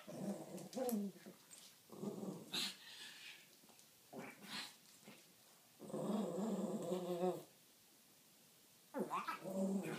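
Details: Pair of Pekingese at play: repeated loud, rough growls in bursts of about one to one-and-a-half seconds, separated by short pauses, mixed with brief higher yelps and whines.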